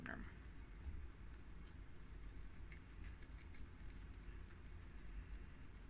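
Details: Four guinea pigs (two males: tri-colour and red Americans; two females: long-haired mini Yak and Abyssinian) munch freshly washed garden romaine lettuce with soft, irregular crisp clicks over a low background rumble.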